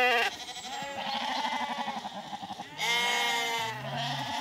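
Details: Newly weaned Zwartbles lambs, back in a field on a farm in County Kilkenny, Ireland, calling while searching for their mothers: loud, overlapping, wavering bleats, one long call after another, with a deeper bleat near the end.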